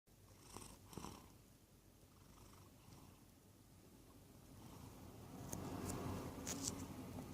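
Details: Wodda, a pet cat, sleeps half in his bed in the sun and half on a cool desk. He makes a soft, low rumbling snuffle-snore that rises slightly toward the end, with a few faint clicks early on.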